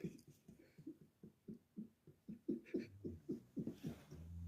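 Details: Sleeping dog snoring loudly indoors, a quick series of short low rumbling snores, roughly four per second, growing louder toward the end, with a low hum entering near the close.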